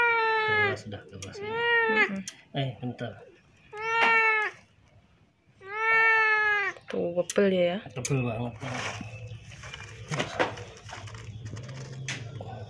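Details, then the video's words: Crying of a sick, hungry and thirsty cat with severe scabies that came to a house asking for help: a run of loud, arched, drawn-out meows, each rising then falling, with pauses and a human voice speaking between them. "KUCING INI MENANGIS DATANG KERUMAH KUCING UNTUK MINTA TOLONG"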